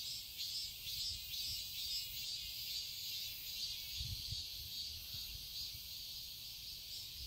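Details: Cicadas in a summer garden in Seoul, Korea: a dense, steady high-pitched shrill chorus with a faint pulsing shimmer, continuous throughout, with soft low rumbling background noise.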